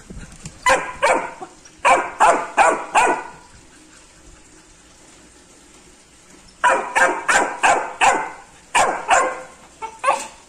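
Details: Labrador Retriever puppy reacting to a rat with rapid bursts of sharp, yappy barks, about five in quick succession, a silent stretch of several seconds, then another fast series of barks.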